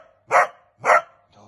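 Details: Male dog baying during hunting training on wild boar, giving two hard, clipped barks roughly half a second apart, followed by a brief murmur of a man's voice.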